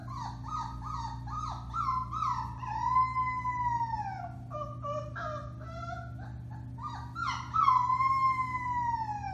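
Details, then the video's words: Several four-week-old Alaskan Malamute puppies, Bema and Cole litter, March 30, 2021, chorus together: choppy high yips give way to long falling howls, with voices overlapping and rising again near the end, over a constant low electrical hum. "Puppy Howling, 4-weeks old"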